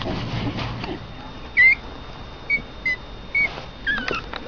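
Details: Pomeranian puppies, Honey's two young pups Keisha and Honeybear, indoors, give a few short, thin, high-pitched squeaks spaced about a second apart after a quiet start, with faint room hum and a woman's voice nearby.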